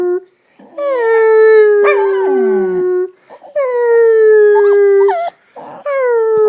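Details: Female pet dog howling in imitation of a fire engine siren, drawn-out steady tones each beginning with a quick rise and easing gently down, separated by short pauses, with a wavering, broken note in the middle.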